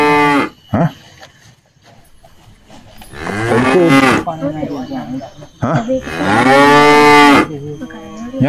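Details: A Qurban sacrifice cow, bought in 2025, lows twice, each a loud, rich, rounded moo lasting one to nearly two seconds. A short grunt opens the clip, and quiet gaps come between the calls.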